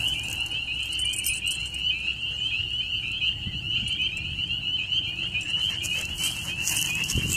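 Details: Frogs call together in a steady, high, pulsing trill that never lets up, an eerie sound that fascinates a listening pet dog.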